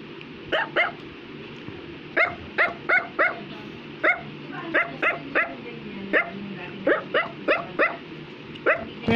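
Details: Affenpinscher toy dog barking persistently at home: bright, high-pitched yaps in quick pairs and triplets throughout, about twenty barks in all, with low household background noise and a brief soft voice.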